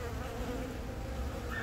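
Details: Honey bees of a colony whose queen, born from the year's first natural swarm, has begun laying eggs; April 20, Yongin Baegam, Korea, filmed on a Galaxy Note 10. A steady low droning hum with an even tone near the middle, unbroken throughout.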